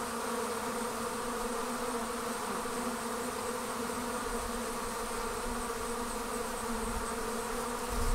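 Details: Buzzing of honey bees leaving the hive as a swarm forms: a continuous, even drone of many wingbeats with stacked low hum tones and faint high hiss, unchanging over eight seconds.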